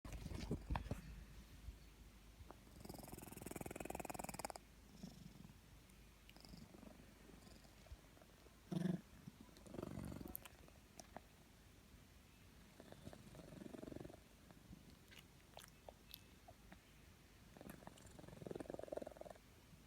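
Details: Sleeping domestic cat snoring: soft, low rasping breaths in slow, uneven bursts several seconds apart, some with a faint purring rumble, over a quiet background with occasional small clicks.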